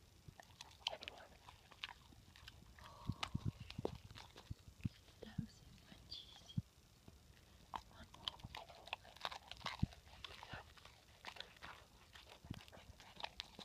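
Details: A female Rottweiler eagerly munches her healthy snacks loudly, with sharp irregular crunches and wet chewing sounds.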